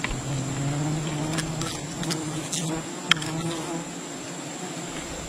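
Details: Wild bee colony disturbed during honey hunting, a steady low droning hum with stacked harmonic bands holding through the whole stretch, overlaid by scattered sharp ticks and brief clicks of handling.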